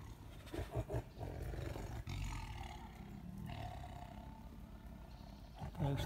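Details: Tigers fighting in a neighbouring enclosure at a lion park in Crimea; the tigress grows furious when the male tries to make friends. Deep, rumbling roars and growls come in low bursts, with a man speaking over them.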